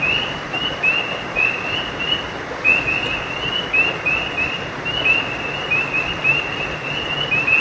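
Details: Frogs calling at night by a creek: a dense chorus of short, high, rising chirps overlapping in quick succession, steady throughout, over a constant rushing wash of flowing water.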